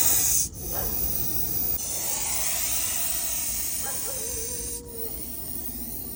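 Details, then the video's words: Trapped venomous snake held under a bucket, coiled and making a loud defensive-sounding noise: a continuous breathy hiss covering the whole clip, broken by a couple of short clicks and a faint whistle-like tone. "बापरे या सापाचा आवाज ऐकून अंगावर काटे येतील तुमच्या"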